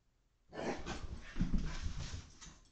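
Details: Stella, a 5-month-old Portuguese water dog puppy, growls and grumbles when super happy during indoor zoomies after a walk, training and breakfast, Connecticut, USA, February 2021, caught on home security feed; rough breathy bursts for two seconds.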